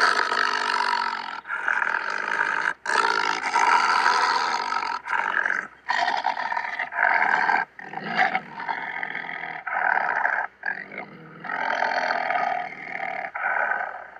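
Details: Malayan tiger giving a run of rasping roars and growls, each lasting one to two seconds and broken by short gaps, rough and mid-pitched throughout, with no background sounds.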